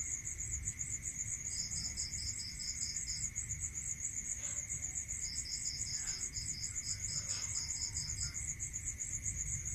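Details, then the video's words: Crickets at night in a rural area: a steady high pulsed trill runs throughout, with a second slightly lower pulsed chirp joining in bursts of about two seconds, plus a constant thin tone and low rumble beneath. "Listening to Cricket Sound Natural meditation music"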